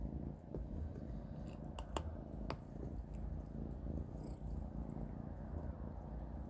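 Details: Three kittens, Panda, Grayie and Goldie, feeding on cat beans at dinnertime: continuous deep, throbbing purr with a few crisp clicks near the two-second mark.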